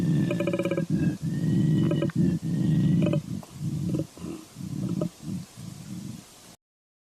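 A koala's deep bellow, a string of rough, snoring grunts pulsing several times a second.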